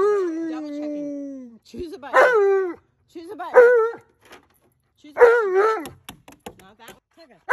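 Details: An Alaskan Malamute vocalizes indoors: a long, drawn-out, falling moan, then three shorter wavering woo-woo calls separated by pauses, ending with faint clicks and taps.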